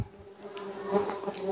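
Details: Hive-box stingless bees, Trigona laeviceps and a Biroi x Laeviceps hybrid, buzz while honey pots are cut open at harvest; a continuous even drone with soft clicks and knocks from the work.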